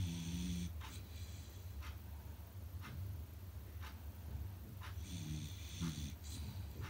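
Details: Sleeping Beagle puppy giving loud snores, a steady low rasping rumble with short nasal whistles at the start and near the end, breaths roughly every second, no other sounds.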